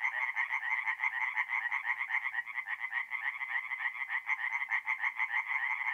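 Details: Singing tree frogs at a forest pond by night in April, north-east Italy, give an unbroken, throbbing chorus of fast, harsh pulsed croaks that rise and fall slightly in loudness.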